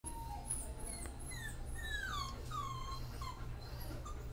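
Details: Puppies at an animal shelter whining in thin, falling tones with several short sliding whimpers, over a steady low hum in the background.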